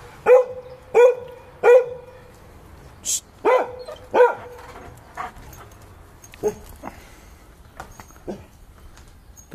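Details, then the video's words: Giant Schnauzer named Vito barking while playing: a run of loud, sharp barks, three evenly spaced, then more with gaps, the later ones fading and softer, a person's voice in between. "Giant Schnauzer Playing ''Vito''"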